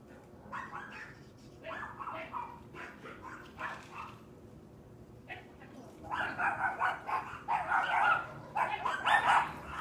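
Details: Loud neighbour's dogs barking; repeated mid-pitched woofs in irregular runs, quieter and spaced at first, then louder and denser barking in the second half over a steady background hum.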